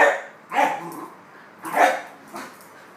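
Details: Sharpie, a fox terrier, barks in frustration at an unreachable moving red light on the ceiling. About four short, sharp, fairly high barks fall unevenly across three seconds against a quiet background.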